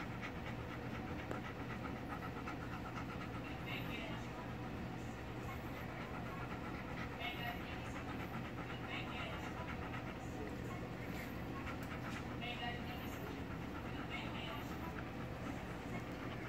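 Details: Chowder, a male Golden Retriever, excited to see his owner from behind a gate; steady, rapid breathy panting runs through the whole stretch over a constant low hum, with faint rustling and no clear barks.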